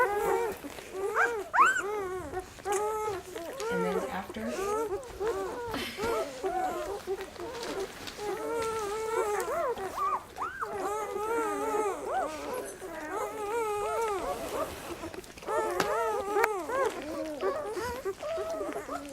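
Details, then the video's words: Several puppies at feeding time fill the air with overlapping high, wavering whines and squeals, rising and falling arcs that continue almost without pause, with occasional louder yelps and faint human voices mixed in. "Puppy Feeding Time"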